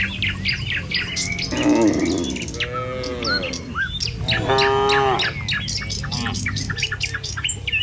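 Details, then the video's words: Tame cattle from a herd roaming a village in the morning, Indonesia, walking the village road to the pen. Several drawn-out, harmonic moos overlap, set against dense chirping and tweeting birds and soft hoof sounds. "Suara Sapi Moou Sepanjang Jalan Menuju Kandang"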